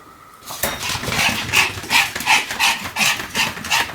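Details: Small Pomeranian called Sam, whirling around roughly 175 times on 1 November 2015, gives evenly spaced shrill barks, about three per second, after a brief quiet start indoors.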